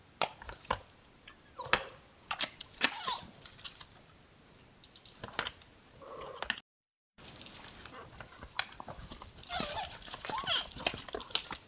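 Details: Odd vocal sounds from a pair of sambar while they spar: a few brief low moans scattered between dry clicking and knocking, a short silent gap midway, and higher chirps near the end.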